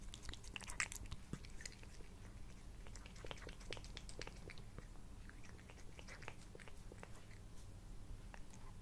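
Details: Indoor recording on a Blue Yeti of the male house cat Sushi purring while eating: a constant low rumble beneath many quick crunchy bites, busiest at the start and then steadily ticking on.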